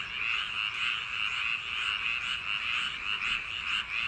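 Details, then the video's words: Frogs at night in summer paddy fields, calling in a thick chorus. Quick rattling croaks repeat about one and a half times per second, overlapping into a steady, ringing trill. "개구리 울음소리 l 불면증 숙면효과 l ASMR | frog sound for sleep | 여름밤 논두렁개구리소리"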